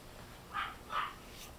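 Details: Silver toy poodle puppy, fluffy and toddling, gives two short, high yips about 0.4 seconds apart against a quiet background.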